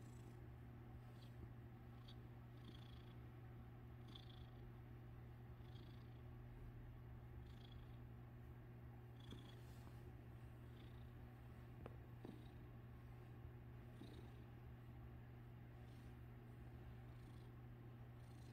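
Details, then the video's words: Domestic cat purring continuously as its tail is played with. The deep, even rumble swells faintly with each breath, roughly once a second, and a few small clicks are heard. "playing with the purring cat's tail"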